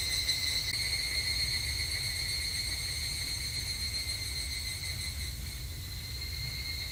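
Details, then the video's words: Higurashi, the evening cicada, on a Japanese summer evening at a temple: a continuous, softer, shimmering high drone with stacked tones that thin out near the end, over a low background hum. "日本の夏～お寺とひぐらしの鳴き声Japanese Summer Temple and Evening Cicada"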